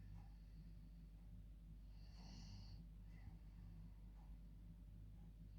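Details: Female dog dozing in her bed at bedtime gives a single hissing, nasal snore lasting under a second, then quiet breathing over a steady low hum.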